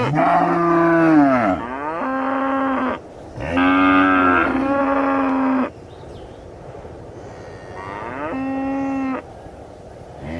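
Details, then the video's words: Cattle lowing in a run of loud, rich moos. Some calls bend down in pitch and others hold steady, with short gaps between them and a quiet hum behind. "Realistic Cow Mooing Sound Effects"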